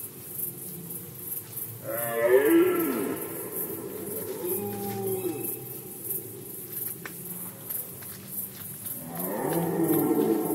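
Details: Red deer during the rut in Poland, 2020: a deep, hoarse roar with stacked harmonics bursts out near two seconds and fades. A second bellow swells up at the end after a quieter stretch of lower grumbling.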